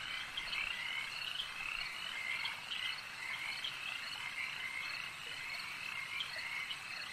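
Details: Many frogs calling at a lake, their high, rattling croaks merging into a continuous pulsing chorus with repeated short, brighter notes scattered through it.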